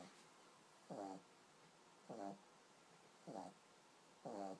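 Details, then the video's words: Pug puppy asleep, giving soft, buzzy, harmonic snores at a steady pace of roughly one per second, four in a row, with little else heard. "Cute pug sleeping and snoring"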